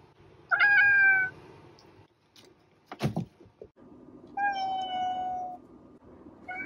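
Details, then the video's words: Pet cat with a loud, bending meow, then a few knocks and thumps, followed by a long, level, drawn-out meow and the start of another. "Cat Meowing"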